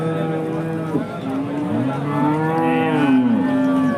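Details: Hallikar cattle at a temple cow market in India: long, low, harmonic moos that swell and bend downward, one after another, over the steady murmur of a busy market crowd.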